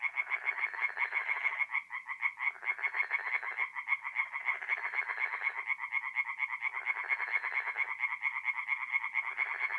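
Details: Several tree frogs singing at night at a forest pond in north-east Italy in mid-April, dense overlapping trains of quick nasal croaks, loud and continuous, with voices swelling and dropping in alternating bursts every couple of seconds.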